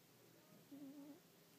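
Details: Mambo, a pet cat, snoring: a short, faint, low rumbling breath lasting about half a second, with a steady tonal hum running through it, in a quiet small room.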